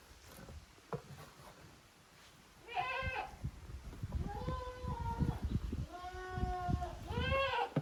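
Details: Goat kids from two families, Koharu's and Okayu's, play in teams in the exercise yard of a handmade goat farm in Japan, 13 June 2023; after a quiet start, three drawn-out quavering bleats follow over low rumbling noise.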